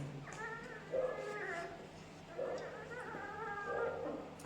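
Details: Twelve-day-old Labrador Retriever puppy, just cleaned after getting dirty, giving thin, wavering whines and whimpers that rise and fall in a few drawn-out bursts over a quiet indoor hum.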